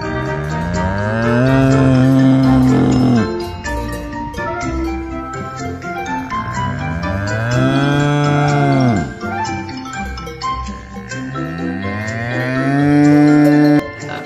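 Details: A bull lowing: three long, deep moos around 2, 8 and 13 seconds, each swelling and then sliding down in pitch, set over steady background music with light chimes.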